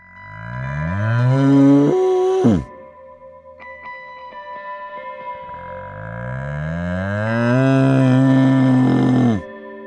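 A bull gives two long, deep, rising moos, the second held about four seconds, with faint steady tones behind.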